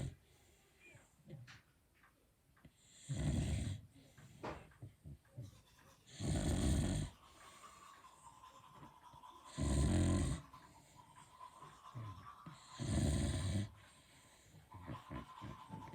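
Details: Beagle dog sleeping soundly, giving big, characteristic snores: four loud, rasping, low-pitched breaths about every three seconds, with quiet breathing and faint rustles between them.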